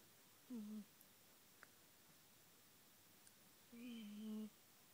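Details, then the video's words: Siamese cat Taffy snoring, two soft tonal snores, each a low hum with faint overtones lasting under a second, about three seconds apart in a quiet indoor room. "Taffy Snoring ! ADORABLE!!"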